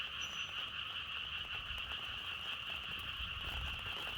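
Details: A continuous frog chorus, massed croaking blended into one unbroken trill, heard outdoors with wind. A brief high tone appears at the start, with a light low rumble underneath.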